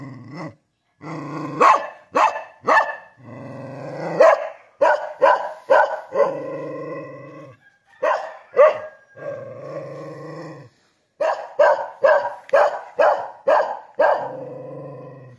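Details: Kintamani dog in Bangli, Bali, barking repeatedly at roughly two barks a second in bursts, with brief growly, drawn-out notes between runs and short pauses of silence.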